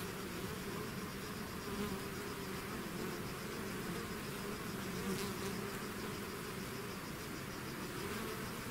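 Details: A swarm of bees streams out of its hive, filling the air with a dense, even buzz; steady hum bands with occasional brief passes of single bees flying close.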